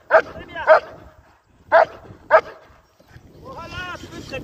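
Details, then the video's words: German Shepherd in IGP competition training; four sharp barks in two pairs, followed by a person speaking. "Entrenamiento PASTOR ALEMAN de competición IGP"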